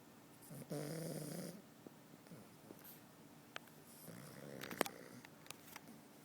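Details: Pug named Charlie asleep in the morning, giving one rattling snore followed by quieter breathy snuffles and small clicks, indoors with a faint steady hum.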